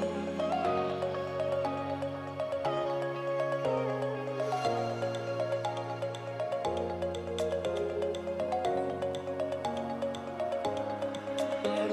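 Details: Soft new-age background music with sustained chords and chiming notes fills the whole stretch.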